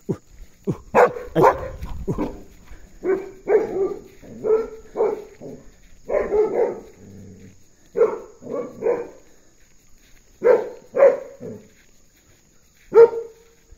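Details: Belgian Malinois named Puntu barking while escorting an ox out, a run of short sharp barks in uneven bursts, some doubled, with gaps between clusters and a final lone bark.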